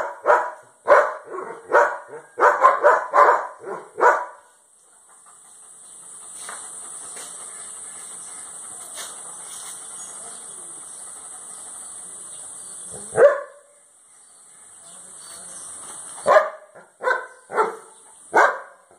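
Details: German Shepherd security guard dog in Cambodia, one of a pair kept at home, gives bursts of deep, rough barks in quick clusters at the start, then a long steady hiss, and later further short runs of barking.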